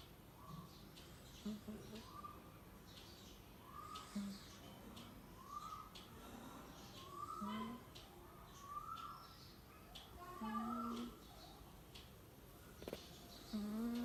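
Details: Labrador Retriever puppy snoring: a soft, whistled nasal squeak that rises slightly, repeated roughly every second and a half in a steady breathing rhythm, with occasional lower squeaky notes over faint background hiss.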